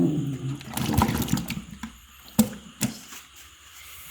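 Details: Splashing and pouring water with scattered knocks and clatters in a small room, then quieter gaps; no animal call is present.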